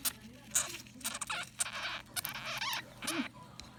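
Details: Thin, piercing squeaks from a Blue Sapphire dwarf hamster break out between rough, hissing chatters and rustling, in quick irregular bursts as it guards its food.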